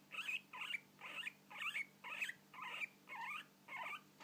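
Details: Guinea pig hiccups: a quick series of eight short, squeaky chirps around the upper-middle pitch range, repeated roughly every half second in a steady run, with a faint low electrical hum underneath.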